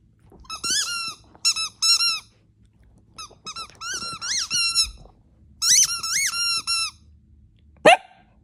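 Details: Pet dog at home giving a run of high, thin squeaky whines, short rising-falling notes in quick bursts of three to five with brief pauses, ending in one sharp rising squeal.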